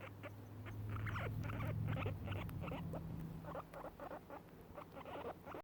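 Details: Two guinea pigs eating grass give soft, rapid, repeated chuts and squeaks, about four a second, their contented happy sound.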